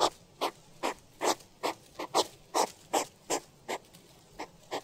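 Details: Hedgehog giving a steady run of short, breathy huffs or snuffles, roughly two or three per second, each a soft broadband puff over a faint background hiss.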